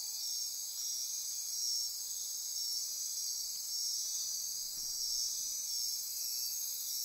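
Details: Night insect chorus in Costa Rican rainforest near Corcovado National Park, Osa Peninsula, at midnight: dense, steady, very high-pitched buzzing and trilling layers that pulse gently, with no other clear sounds.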